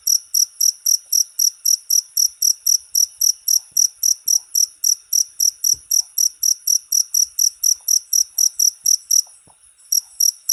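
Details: Cricket sound meant to teach songbirds: a long run of rapid, shrill chirps at about four per second, briefly stopping for under a second near the end before resuming, in an otherwise silent setting.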